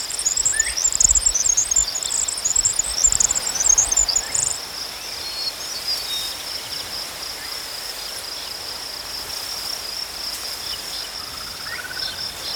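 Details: Crickets in nature: a constant high thin trill underlies the clip, while rapid twittering chirps crowd the first four seconds and faint distant whistles sound now and then.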